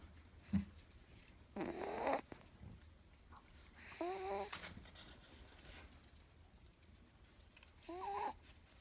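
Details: Ewok, a young female Miniature Schnauzer napping, gives three loud raspy snores, two ending in a short whistling, whiny tone, separated by quiet breathing.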